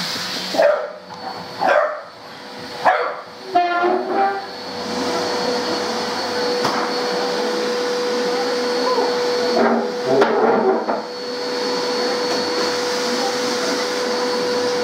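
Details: Sammy, a pet dog, barking at a vacuum cleaner indoors: a burst of four or five sharp, separate barks in the first four seconds, then another cluster of barks later, over the steady droning hum of the running vacuum.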